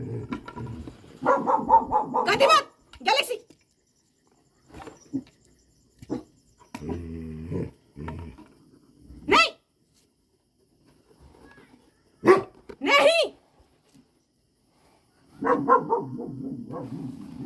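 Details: Pet dogs at an owner's birthday celebration give short, sharp barks in a few separate bursts, with people talking between them and some quiet gaps.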